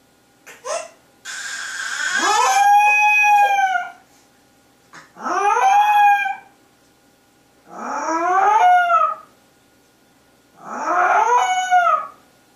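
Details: Household dog howling beside a crying baby, four long wavering wails, each rising then sliding down with rich harmonics, lasting one to three seconds and repeated roughly every three seconds, with silence between bouts.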